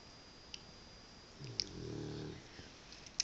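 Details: A Cavalier King Charles Spaniel snores while asleep, a single low, rasping drawn-out breath lasting about a second, with faint clicks and a steady high whine in the background.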